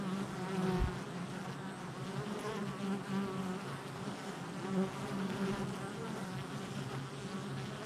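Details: Honey bees crowding a hive entrance on July 22nd, 2024 give a loud continuous hum, with bright pulsing wingbeat tones from passing bees, a short knock near the start.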